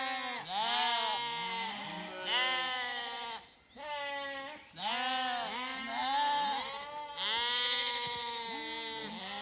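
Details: Several Zwartbles lambs on a farm in County Kilkenny, Ireland, bleat loudly and repeatedly after their evening meal, screaming for their mothers after being separated from the ewes.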